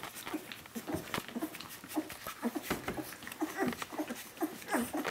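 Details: Puppies aged 17 days call for their mother Brenda with clear, rapid whimpers, each a short rising-and-falling squeal repeated several times a second, mixed with rustling bedding and light clicks.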